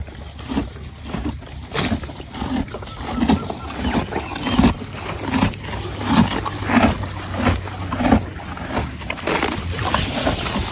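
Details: Horse (Equus caballus), chewing: eating.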